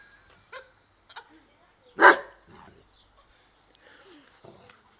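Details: Giant Schnauzer beside a mini pool gives one loud, sharp bark at mid-clip, preceded and followed by faint soft voices and small scattered noises in an otherwise quiet setting.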